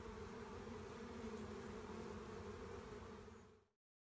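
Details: Honey bee swarm being collected: a dense, steady hum with stacked low tones, continuous and unbroken for nearly four seconds before fading out abruptly.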